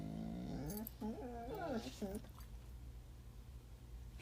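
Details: A puppy that always cries while eating carrots gives a run of wavering, moaning whines in the first two seconds, bending up and down in pitch. Low hum continues throughout.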